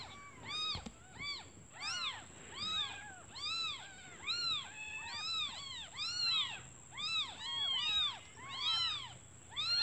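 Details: Hungry newborn kittens cry for their absent mother, who has gone to find food; rapid overlapping arched mews, several callers at once, roughly one or two per second, with a thin constant high tone behind them.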